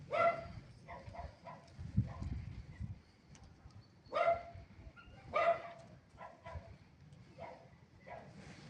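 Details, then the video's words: Pair of kittens exploring a large tree and leaf piles in autumn sunshine; brief clear meows come at the start, then a double call about four seconds later, with soft leaf rustling and scratching underneath. "Kittens Playing in the Fall: Tree Climbing & Leaf Fun"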